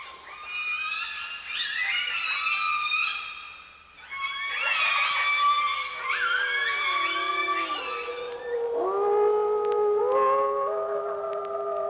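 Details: Orcas at a contact site near Vancouver Island in July 1992 give rich, harmonic calls that bend and slide in pitch, some squealing high, others sweeping down, during interspecies communication sessions with musicians.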